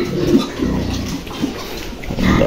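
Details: Pig, a good-breed sow that has just given birth on a farm; low, soft grunts come in short bursts through the clip over a steady background hum.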